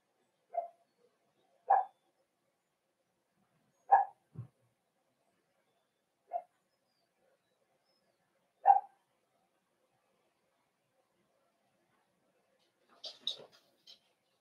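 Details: Cavalier King Charles Spaniel puppies in an indoor puppy pen during a socialization session with older household dogs, December 13, 2022; single short mid-pitched barks spaced a second to several seconds apart, then a brief higher squeaky flurry near the end, otherwise quiet.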